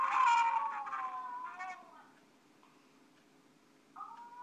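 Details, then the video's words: Pet Alaskan Malamute singing with its little four-year-old buddy: a loud howl sliding downward for about two seconds, quiet gap, then a higher sustained tone starting near the end over a low background hum. "Malamute loves to sing with his little buddy."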